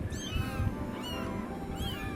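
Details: Three thin, high mews from Bommi's kittens, 11 days old, whose eyes have just opened, four in the litter; each mew is brief and rising then falling, spaced under a second apart, over low room rumble and soft background noise.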